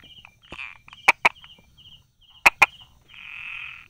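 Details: Brauer's tree frog hidden by rock crevices and grass, July 2016 morning: two pairs of sharp tapping clicks about a second and a half apart, with a soft high pulsed trill and a brief hissing swell.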